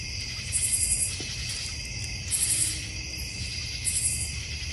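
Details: North Georgia Mountain backyard with a koi pond and bird feeder; a constant high cricket chorus hums underneath while a very high, rapidly pulsed burst rings out three times, roughly every one and a half seconds.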